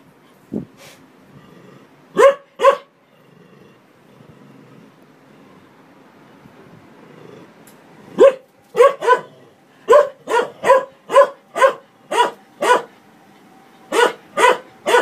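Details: Dog barking at a washing machine: a pair of barks, a long quiet stretch with faint low machine noise, then a rapid irregular run of about fifteen sharp barks.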